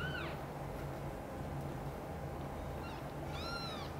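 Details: Kitten meows while mother cat Xaxa moves Chan's kittens Miracle and Cream to her nest; one short arched meow at the start, two more near the end, constant low hum between.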